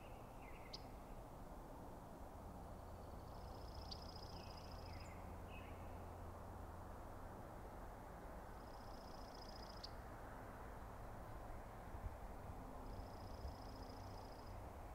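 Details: At night, with several bulls sharing the space, elk bulls in a challenge between the Sheriff and a rival give three distant high whistled bugles, spaced several seconds apart, after brief lower squeals near the start, all over a constant low rumble.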